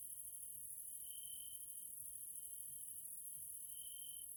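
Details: Caelifera grasshoppers calling in the evening in a Central European nature area in Hungary: an unbroken, very high sizzling chorus over a faint trill that rises and falls in loudness, with no other clear sounds.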